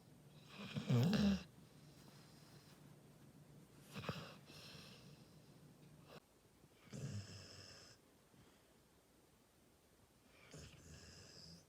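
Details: Sleeping Labrador Retriever snoring indoors in a small room: a loud snore near the start, then softer breaths around four, seven and ten seconds, irregular and separated by quiet pauses.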